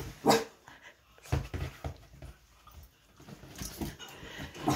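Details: Wheaten terrier mix puppy, worked up while being teased by family members indoors; a few sharp, abrupt barks and yelps are separated by quieter pauses.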